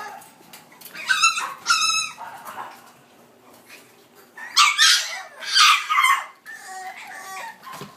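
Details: High, sharp yelps and whiny yips from a female French Bulldog puppy born 14 July, in two pairs of loud bursts separated by a few seconds of quiet.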